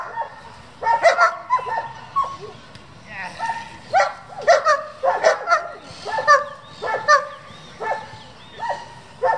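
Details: Barking from German Shepherds raised for breeding and competition, irregular runs of loud barks with brief gaps, voices of people talking mixed in.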